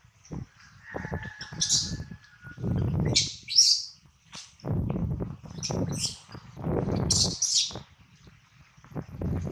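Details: Baby monkey Adler, held in the hands of a small monkey, cries while missing his mother and hungry: short shrill high squeals in bursts every second or two, over low thumps and rustling handling noise.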